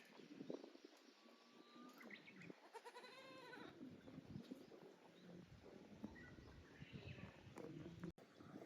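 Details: Goats at Yoshigake Farm, a handmade goat farm in Japan, on their new playground on 9 May 2024. One wavering, harmonic bleat rises near the middle, with rustling, thumps and soft farm background around it.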